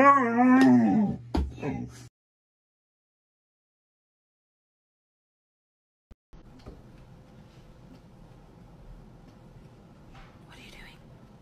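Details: A Siberian Husky being dramatic lets out a wavering, harmonic howl-whine lasting about two seconds that bends up and down in pitch, then falls silent before faint room noise.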